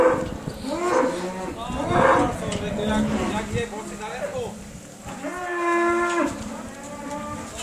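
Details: Cow alongside a Rhodesian Ridgeback, giving several drawn-out low moos, the first ones rough and overlapping, and a final long, steady, more tonal moo near the end, with some background voices.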